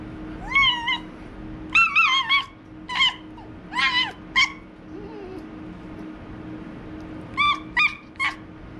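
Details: A pet white fox named TYR, playfully attacking, gives a series of short, high, wavering harmonic cries in bursts of two to four, with quiet pauses between and a steady low hum underneath.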